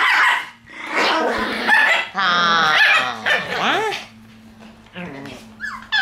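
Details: Black Shiba Inu puppy born on 11 March, giving loud strained whines and yelps, drawn-out harmonic cries with rising and falling pitch, broken into bursts with short pauses, voices of people mixed in.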